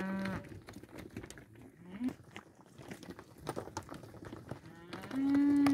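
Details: Pregnant young Angus cows offered as a lot: a short low moo at the start, clanking and shuffling in between, then a sustained loud, even moo closing the recording.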